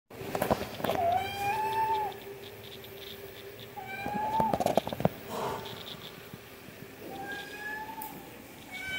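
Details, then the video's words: Domestic cat meowing for food: three drawn-out, slightly rising meows about three seconds apart, each steady then falling away, with sharp clicks and faint background noise between them. "Cat meowing"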